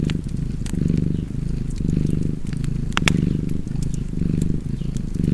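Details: Purring cat beside a crackling fireplace; the low rumble keeps its slow breathing rhythm while frequent snaps and pops from burning wood stand out.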